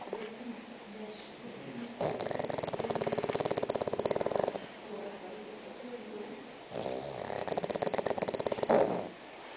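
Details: Spock, a six-month-old bulldog, snoring while asleep: two long rattling, buzzy snore bursts of a few seconds each, fast pulsed vibration, separated by quieter breathing.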